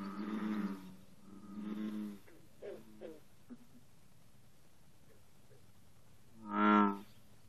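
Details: Bullfrogs sing at 54 degrees in the morning. A few low, twangy croaks come first, then a quiet pause with soft, short notes. One strong, resonant croak ends the series.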